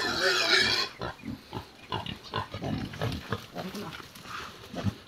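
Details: Native pig, kept as a farm animal: a loud, harsh, high squeal lasting about a second, then a run of short, low grunting pulses, with people talking close by.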